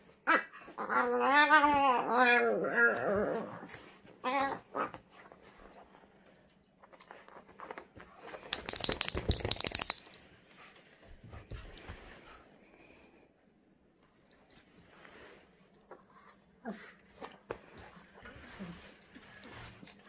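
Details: Nearly five-month-old female French Bulldog puppy playing alone during a puppy freak out: a few seconds of wobbling, moaning whines at the start, then mostly quiet rustling, a loud noisy burst midway and faint scuffs.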